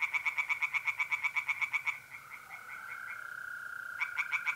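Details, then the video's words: North-east Italian pond at night in mid-April: tree frogs sing a fast series of about fifteen evenly spaced, rasping croaks. A mole cricket then trills steadily and continuously before the frogs resume their croaking. "relaxing singing tree frogs in pond"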